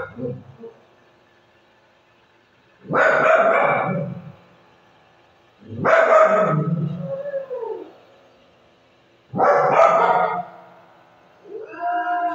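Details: Pet Shih Tzu in the Philippines howling like a dinosaur in reply to another dog's bark: three loud, rough, drawn-out harmonic cries about a second long, spaced roughly three seconds apart, then a rising tonal howl starting at the end.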